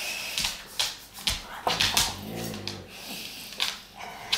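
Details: Two Dogue de Bordeaux dogs playing indoors in a dog bed, one giving a low rumbling growl with stacked harmonics in the middle, among sharp thumps, snorts and rustling.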